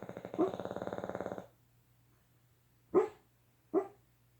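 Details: Boston Terrier sleeping and dreaming: a rapid pulsed growling rumble lasting over a second, then two short sharp woofs about a second apart, with a steady low hum behind.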